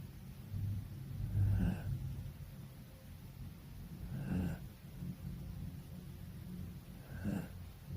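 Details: Sleeping Poodle with its eyes rolled back, snoring steadily: three low, rumbling breathy snores come about every three seconds, each swelling and fading over a quiet indoor background.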